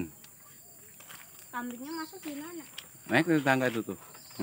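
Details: Penned goat at a village house amid gardens and forest, kept alongside cattle, gives a short tremulous bleat, preceded by a softer wavering call, over a steady insect hum and a quiet rural background.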